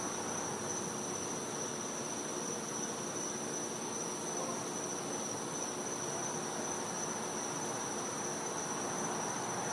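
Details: Winter night in a Floridian back yard with cicadas: one sustained high whistle-like tone runs without pause, layered over a loud, uniform hiss.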